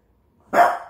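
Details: Single loud, abrupt bark from a pet French bulldog called a talking dog, tailing off over half a second.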